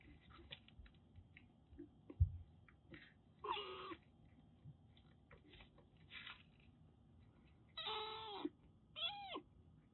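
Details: Formerly stray Siamese mix kitten, rescued in Kagoshima, Japan, during a shampoo. Several breathy, noisy bursts, then two drawn-out meows, the second bending up and down, over quiet indoor background noise.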